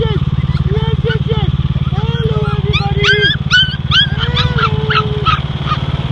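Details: Catskill Pumi puppies reacting to a running lawnmower: a chorus of wavering whines and short yips that rise and fall, sometimes overlapping, above a loud, steady, low engine drone.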